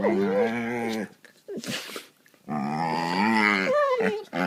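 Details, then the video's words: Two pet dogs in play fight on a couch, gnawing at each other: deep, rich, harmonic growling grumbles of about a second each, separated by a short breathy pause, then a longer rumbling growl. "Dogs making funny sounds"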